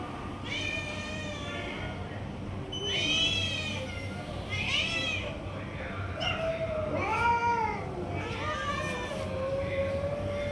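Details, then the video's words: Street cats at feeding time as a tiger cat grabs food from the rest: repeated drawn-out meows in bursts, several cats calling in turn, rich harmonics, some calls bending downward, with a constant low rumble beneath. "Tiger Cat is Snatching Food from Other Cats and Not Letting Eat Anyone Else"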